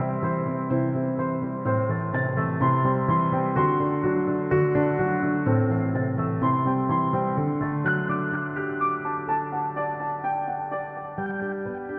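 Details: Gentle, melancholy electric piano music with sustained chords and a slow melody; no animal sounds.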